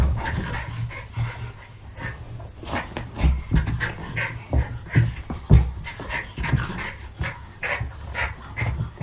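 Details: Jack Russell Terrier playing: a steady stream of low grumbling growls broken by quick snorts and pants, fairly dense over nine seconds with frequent sharp peaks.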